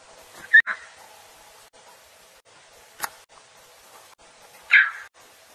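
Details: A lion cub gives two short, high mewing cries that sound almost bird-like as it calls its mother.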